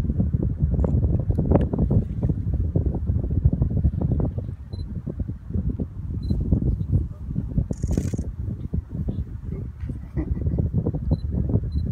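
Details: {'caption': 'Strong low wind buffeting the microphone dominates throughout, with a brief faint high tone near the middle and no animal sounds heard.'}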